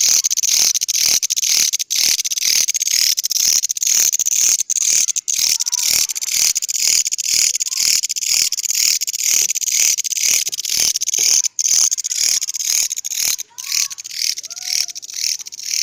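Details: Grasshopper with an odd-sounding call: loud continuous high-pitched buzzing, broken by sharp rhythmic pulses about twice per second, with faint short whistled notes in the background.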